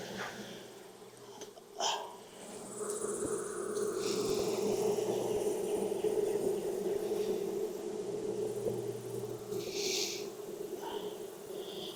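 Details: Honey bees at a backyard hive in Texas during an inspection on a hot day around 92F after three weeks of rain; a steady droning hum swells through the middle, with knocks and scraping as frames are moved.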